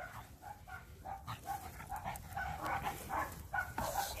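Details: Quiet, nasal yips and soft whimpering barks from Mini Dachshund puppies at play with a five-month-old Pug, coming in irregular clusters about twice a second over faint rustling.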